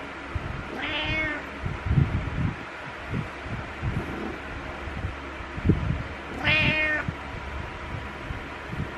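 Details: Domestic cat named Butters meowing in the morning while headbutting to wake the owner; two clear harmonic meows about five seconds apart, each rising then falling, over low thumps and rustling indoors.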